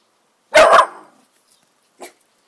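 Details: A new miniature bull terrier barks at dogs outside: one loud, harsh bark, then a faint short yip.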